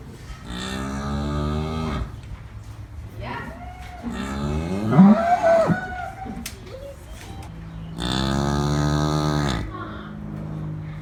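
A cow lows twice, each moo a deep, steady, drawn-out drone lasting over a second. Between the calls comes a short passage of shifting, voice-like sounds.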